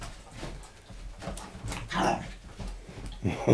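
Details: A male dog playing with a laser pen, wagging his tail in enjoyment. Soft whimpers and short yips come in brief bursts, with a louder cry near the end and quiet handling noise in between.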